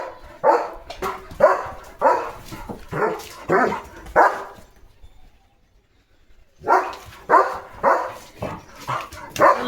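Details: German Shepherd named Leo barking on his morning guard duty in a village at cattle, vehicles and dogs: a steady run of deep barks about twice a second, a two-second pause, then the barking resumes.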